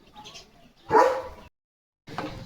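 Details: German Shepherd named Leo, a pet playing with a water mug held in his mouth, gives a single loud, broad bark lasting about half a second, preceded by faint chatter and followed by a short silence and low rustling.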